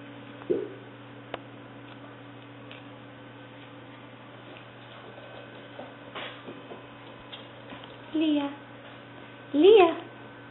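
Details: Leah, a six-week-old black, white and tan tricolour female English Springer Spaniel puppy, filmed 5/11/09 indoors: a few short, high whimpers and a rising-falling squeal near the end, over steady mains hum and faint room noise.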